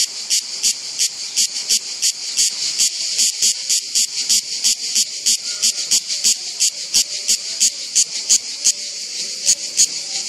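A cicada sings in harsh, high buzzy pulses repeated about three times a second.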